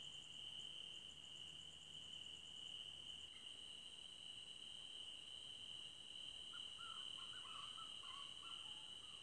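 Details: Crickets trilling in a forest at night, a constant high ringing tone with a pulsed upper buzz that stops after three seconds; in the second half, short wavering mid-pitched calls break in briefly above the background.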